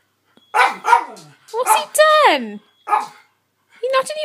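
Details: Indoors, 12-year-old Miniature Schnauzer Jessie barks at 3-year-old George for sleeping where she wants to be; loud harmonic barks, one sliding downward in a drawn-out yelp, four or five calls in quick succession.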